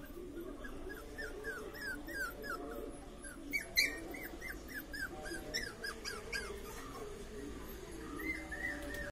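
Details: Pomeranian puppies giving a run of short, high, squeaky whimpers that dip in pitch, several per second, over a steady low household hum.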